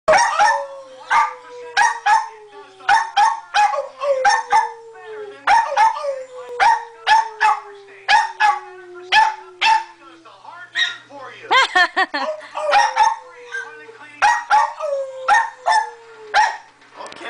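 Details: Two Jack Russell Terriers talking with each other: bursts of short, sharp, yappy barks repeated over a long, slowly falling whine, in several bouts through the clip.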